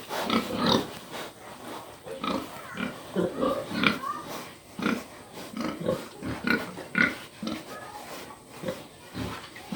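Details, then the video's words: Pig making repeated low grunts and snorts, irregular bursts roughly every half second, with broadband noisy texture throughout. "please excuse the pig"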